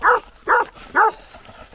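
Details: Shepherd dog barking as it slowly leaves horse riders alone in a field; three loud, evenly spaced barks about half a second apart, each short and mid-pitched, with quiet pauses between.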